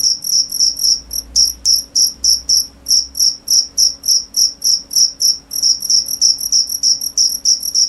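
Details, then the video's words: Cricket giving rapid, high-pitched chirps, roughly three per second, briefly pausing once midway before resuming the bright, even trill-like rhythm. "cricket sound"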